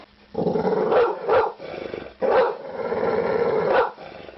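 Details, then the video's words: Begging dog giving two long, rough, throaty growling vocalisations, each a second or more long, separated by a short pause. "SOUND OF DOG BAGGING BARKING DOG"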